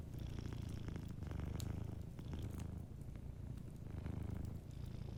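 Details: Sleeping cat purrs softly in a deep, even rumble, steady pulses alternating with brief pauses for breath, faint fireplace crackling underneath.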